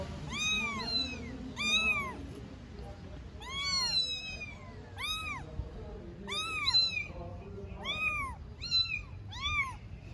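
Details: Three 4-week-old stray kittens in Istanbul meowing together: high arched meows with rich stacked harmonics, often overlapping, about eight bursts across ten seconds over low background hum.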